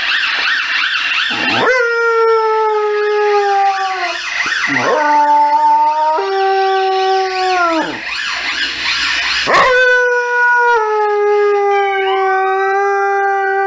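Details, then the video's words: Emergency sirens set a Saluki howling: several long, clear, tonal howls, each gliding gently downward, separated by brief gaps where the warbling siren surges loud in the background. "Saluki Howling at Emergency Services"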